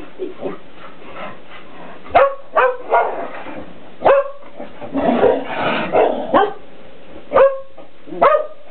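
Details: Shetland Sheepdogs, two pet Shelties aged ten and nine, playing indoors with a cat toy while a cat dodges; scattered sharp barks with a few softer yips and rustling movement between them.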